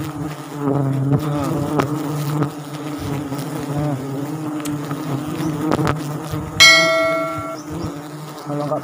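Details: Wild forest bees swarming around a Sialang tree nest during a honey harvest in South Sumatra, a dense, droning buzz throughout, with people talking and a brief ringing metallic tone partway through.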